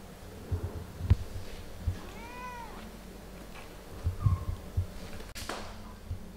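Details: Mother cat playing and talking with her kittens indoors; one clear arched meow with stacked harmonics near the middle, a brief higher mew later, soft thumps and a sharp click.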